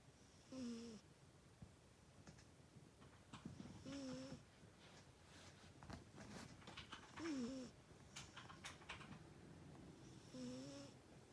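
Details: Cute cat asleep indoors, snoring: four short whistled, slightly wavering nasal tones with a breathy hiss on each breath, spaced roughly every three seconds, in a quiet small room with faint rustles between breaths.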